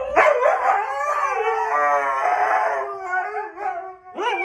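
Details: Husky. A husky howls in a drawn-out, wavering voice, the pitch rising and sagging through a long phrase before breaking off. A short, yelping rise follows after a brief pause.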